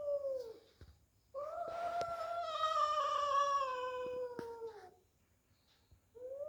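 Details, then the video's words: Two domestic cats fighting indoors: drawn-out harsh caterwauling, a loud strained wail held nearly four seconds and slowly sinking in pitch, framed by shorter yowls and occasional clicks. "Cat Fighting"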